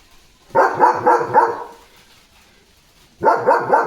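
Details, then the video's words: German Shepherd dog barking loudly during stormy weather with dark clouds, strong winds and light rain; two bursts of rapid, repeated harsh barks, four in the first run and three in the second, with a quiet pause between. "German Shepherd Leo Barking in Stormy Weather"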